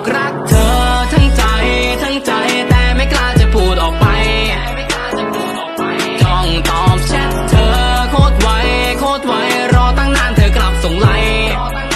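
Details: Upbeat pop music with singing and a regular beat plays throughout, and no animal voice is heard.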